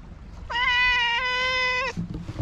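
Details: Tuxedo cat on a Japanese cat island, walking up and chattering: a single sustained, level meow lasting over a second, bright and tonal, with a slight rise at the start and faint low background hum.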